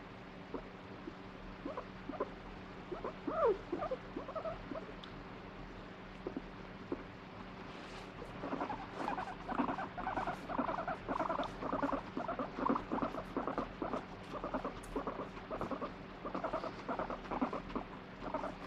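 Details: Domestic guinea pig torn between wanting petting and pushing a hand away: sparse soft pulses at first, then from midway a steady stream of throbbing rumbling bursts.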